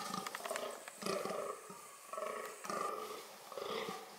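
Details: Fallow deer (Dama dama), filmed in the context of its reproductive strategies, gives rough harmonic groans in four bursts of about a second each, separated by short pauses.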